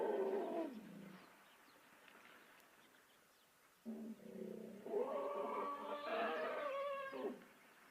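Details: African elephant vocalizing among several elephants at a dung pile, a spot that serves as a communication hub; a short falling harmonic call, a quiet pause, then a louder, longer tonal call of about three seconds with a wavering, rising-and-falling pitch.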